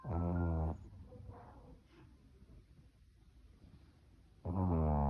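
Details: Yorkshire Terrier named Choco snoring in its sleep: a deep, rasping, harmonic snore lasting under a second opens the recording, quiet breathing follows for nearly four seconds, then a second loud snore begins.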